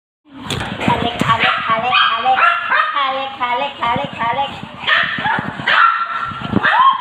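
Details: Several Pomeranian puppies in an uproar, excited at their owner's return after days away: high yips and rising whiny barks tumble over one another, with a person talking throughout.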